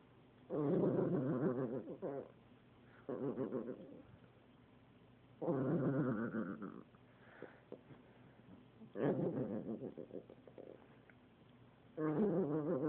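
A dog makes long, harmonic moaning grumbles, each lasting one to two seconds, between quiet pauses.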